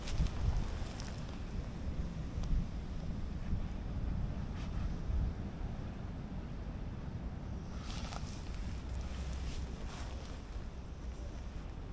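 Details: Heavy wind rumbling across the microphone outdoors, steady low roar with a few faint knocks, and no animal voice.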